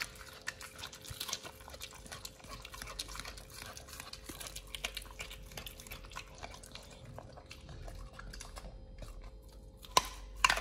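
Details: nomyen, a Pit Bull on a raw diet, works through sole, silver pomfret, Indian mackerel and duck feet. Steady soft crackling and mouthy chomps continue for ten seconds, ending in a couple of sharper cracks.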